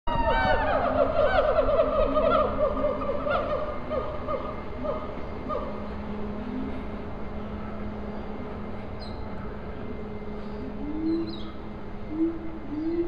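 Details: Siamangs at Riverbanks Zoo, Columbia, South Carolina, give loud, tonal whooping calls that rise and fall, opening with a rapid descending series. Siamang (Symphalangus syndactylus), call.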